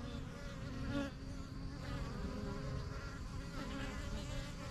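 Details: Honey bees buzz busily at the yellow hive in a backyard, a steady low-pitched drone with wavering harmonic bands as individual bees fly past close by.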